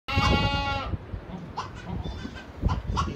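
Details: Boer goat in a stud's hygienic kidding pens during kidding season, where does have kidded and kids are housed: one loud, strongly harmonic bleat lasting just under a second, followed by quieter rustling and faint background sounds.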